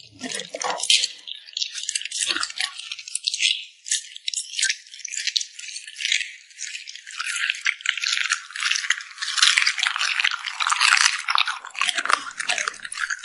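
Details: Close ASMR recording of a cute puppy eating and smacking its lips: continuous crackly, wet smacking and chewing noises with small gaps, growing louder and busier in the second half.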